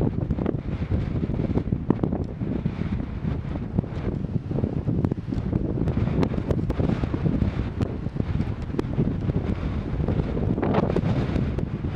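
Only strong wind buffeting the microphone is heard, with no animal calls.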